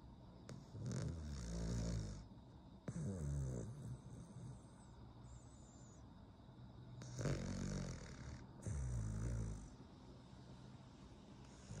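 A Cavalier King Charles Spaniel snores in long, rumbling, low breaths with a raspy hiss on each one.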